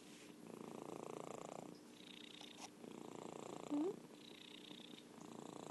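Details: Orange tabby Merlin purring in rhythmic in-and-out rumbles, two long buzzing phrases separated by a brief pause, with a short high squeak near the end over a faint constant hum.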